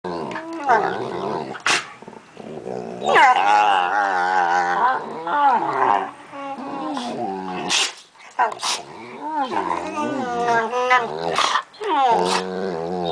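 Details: Pit bull type American Staffordshire terrier, one of two in the household, making long, wavering whine-like vocal sounds that swoop up and down in pitch. They come in near-continuous bouts with brief breaks and a few sharp clicks.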